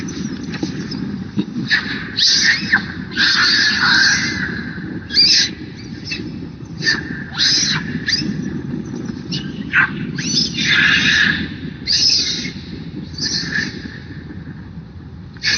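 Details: Young monkey crying and making noise, wanting milk: repeated harsh, high squealing cries in bursts, with broadband rustling and handling noise underneath throughout.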